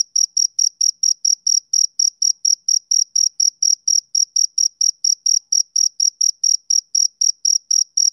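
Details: Summer-evening chirping of a male cricket, shrill, bright pulses repeated rapidly and evenly, around four a second, over dead-quiet background with nothing else audible.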